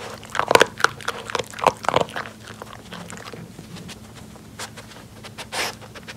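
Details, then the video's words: Pori, an adopted Jack Russell Terrier, eats from a snuffle mat indoors during nosework. A winter of distancing and snow clearing has kept her from walks. Quick clustered crunches and snuffles start out dense, then thin out to scattered clicks in a quiet room. "강아지 노즈워크 ASMR 먹방 | 잭러셀테리어"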